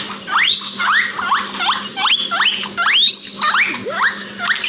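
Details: Guinea pigs, two pets in a backyard, producing a rapid string of sharp upslurred wheeks roughly twice per second, loud and piercing, with a soft hum in the background.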